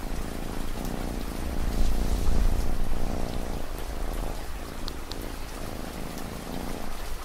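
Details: Domestic cat purring, set against ambient rain for relaxation: a deep, steady rumbling purr with pulsing swells, while soft rain patters continuously in the background.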